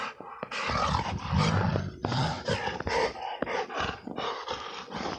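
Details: Snow wrestling by an XL American Bully in winter: deep, throaty growl-roars in choppy bursts, the strongest low rumble around one to two seconds, mixed with breathy scuffles.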